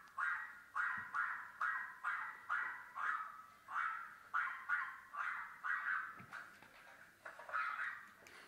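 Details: French Bulldog; barking; aggression during an attack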